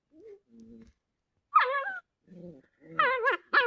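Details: Little puppies playing in a village give soft high whines and short squeaky yelps, some wavering and bending in pitch, in scattered bursts with pauses between.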